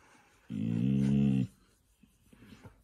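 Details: Siberian Husky being dramatic during a funny husky argument indoors: one steady, low, harmonic growl lasting about a second, followed by quiet room sounds.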